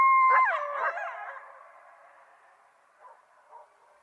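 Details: Coyote calling: a steady high tone that breaks into a short wavering yelp near half a second, then trails off into a fading echo with two faint yips later.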